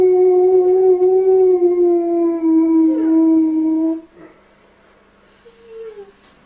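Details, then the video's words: A dog howls in a sustained, wavering tone to stop a baby crying, the long note held for about four seconds with a bend near the third second, then a short quieter falling whine after a pause. "dog sings to a baby to stop his cry"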